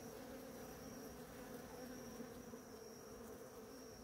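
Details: Bees swarm over ora-pro-nobis in bloom, feeding; their dense humming drone stays constant and full for the whole moment, with a thin high whine faintly above.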